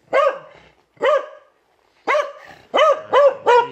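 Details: Domestic Beagle named Will letting out a run of six bright, arching barks, spaced out at first and then coming faster in a tight burst of three at the end.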